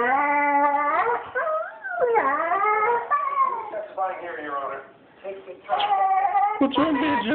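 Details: Banjo the dog cries for absent owners gone a couple of weeks; sustained yodelling howls slide up and down, falter into a quieter dip, then return with louder wavering whimpers.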